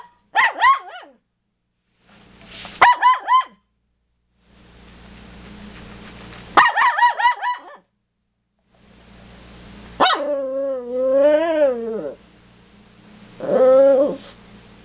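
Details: Toy poodles barking at deer: three short bursts of high, yappy barks, followed by longer wavering, whining howl-like tones, with steady background hum between the calls.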